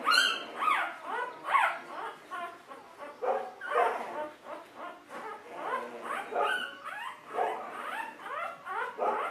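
A litter of Golden Retriever puppies whining and yelping together in high, overlapping squeals.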